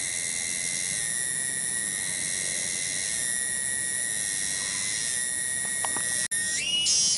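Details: A lone cicada in a village garden at Kampung Bunder, Cibening, Bungursari, Indonesia, holding a continuous piercing whine that jumps abruptly to a higher, louder buzz near the end, with a brief dropout just before.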